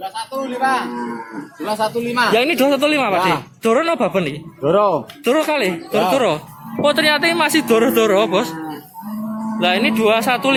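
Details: Cattle at the Babat cattle market in Lamongan, East Java, Indonesia, on Tuesday 29 September 2020. Loud, harmonic moos overlap and follow one another almost without pause, some rising and falling in arches, others held steady, with short gaps between bursts.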